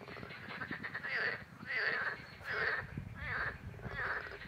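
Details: Green frogs (Pelophylax) at the ponds by the old brickworks in Vrhnika, 27 April 2023: loud, harsh, rasping croaks in a steady series. Each burst lasts under a second, with about five bursts in a few seconds over a low background rumble.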